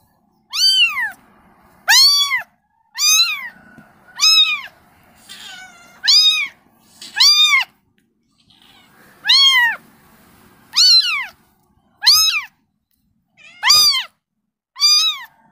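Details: A kitten calls for its mother: sharp, high meows that rise then fall, about eleven in fifteen seconds with irregular gaps, clear and loud against a quiet background.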